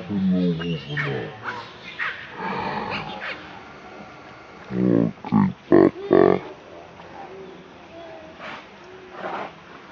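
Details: Baby monkey Leo, hungry and angry, cries to beg its mother for milk: a wavering harmonic wail at the start, then a cluster of four loud, short, strained cries near the middle, with fainter whimpers afterwards.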